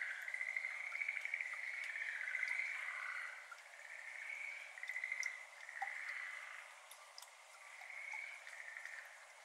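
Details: Distant evening chorus of Schlegel's green tree frogs beside a water-filled iris garden in Japan, May 2022. Soft rattling trills overlap in waves, with faint water drops falling between them. Captured with a RODE NT-SF1 ambisonic microphone and a ZOOM F6 recorder.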